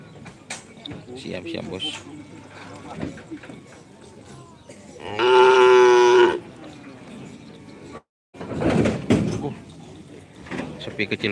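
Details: Cattle at a karapan sapi bull race at Asemanis field, Pamekasan, Madura, East Java, Indonesia; one loud, steady, harmonic-rich moo lasting about a second and a half amid crowd chatter and event noise.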